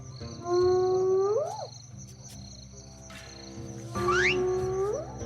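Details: Hyenas calling at night in Ethiopia: two tonal whoops, each rising smoothly and ending in an upward sweep, about three seconds apart, over steady musical tones.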